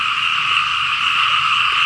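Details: A dense frog chorus across rice fields in Laos after heavy night rain, a steady wall of overlapping croaking calls in two shrill bands.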